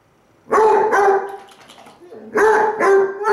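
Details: Pair of Basset Hounds, brown and black, answering each other's howls, the brown one lying on its side: after a quiet start, long steady tuneful bays overlap and follow each other closely, full and resonant with rich overtones.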